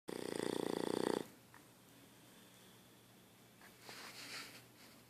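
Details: Sleeping dog snoring: one rough, rattling inhaled snore lasting about a second, made of rapid fluttering pulses, then quiet breathing and faint room sounds.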